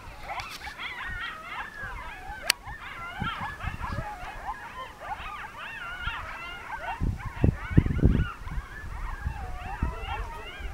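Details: Pack of coyotes singing in the mountains of Northern New Mexico on an evening as a monsoon storm begins to roll in; dense overlapping chorus of wavering yips and quavering howls, rising and falling continuously, with low thumps and rumble beneath.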